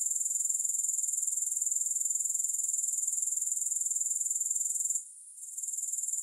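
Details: Grasshoppers heard without music, a dense high buzzing trill made of very rapid, even pulses, briefly dipping to near silence for half a second before resuming at the same pitch.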